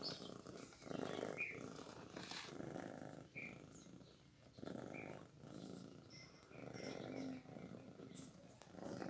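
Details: Newborn kitten purring while fed milk: low grainy rumbles in uneven bursts of one to two seconds, separated by short quiet gaps, with a few tiny high squeaks between them.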